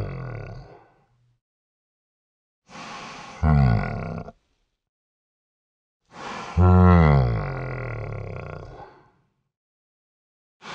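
A Celebes crested macaque gives deep, rough grunting calls in separate bursts a few seconds apart.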